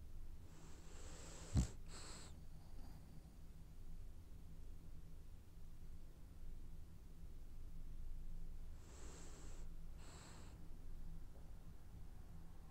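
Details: Sleeping French Bulldog snoring while it dreams: soft, airy breath-snores with a faint whistling edge, two close pairs about seven seconds apart over a low steady indoor hum, with one sharp click near the start.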